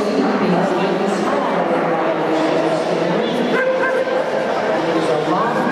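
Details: Irish Setter Mia running a 24-inch round at the AKC Agility Invitational in Orlando, Florida, on Sunday, December 15, 2013; short barks and yips rise above a loud indoor hall crowd with constant chatter and echoing voices.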